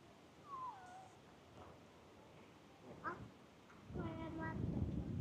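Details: Cat with a λ-shaped marking on its head, coming out from under a car: a thin, falling meow near the start, a short rising call around three seconds and a harmonic-rich meow near four seconds over low rumbling background noise.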